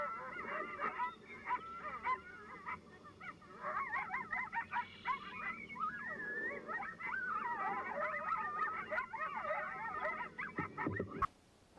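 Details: Coyote group yip howl, several animals calling together to identify their territory to coyotes nearby; tangled chorus of sharp yips and wavering howls, ending with a loud cut-off.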